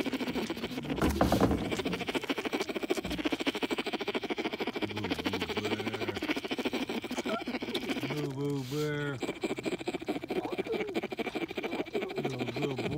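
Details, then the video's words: Baby bear at Dade City's Wild Things, sucking his paw and humming himself to sleep: low, throbbing, buzzy hums come in short bursts of a second or two, set against constant rustling and handling noise. "Baby Bear Singing A Lullaby Himself Right To Sleep"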